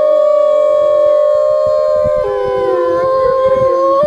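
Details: Howling research wolf: long sustained tones in several overlapping voices, one stepping abruptly upward midway and others sliding and wavering, with soft low thumps beneath.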